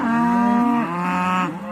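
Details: Belted Galloway cattle herd in a farm lot, answering the farmer's call and coming up to show they are ready to move to greener pastures; one long, steady, resonant moo lasting about one and a half seconds, dipping slightly in pitch midway.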